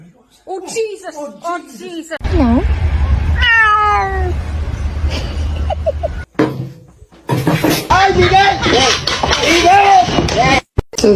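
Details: Cat meowing amid loud speech and laughter, several rising and falling meows and a strained yowl, with a low rumbling background and people talking over the cries.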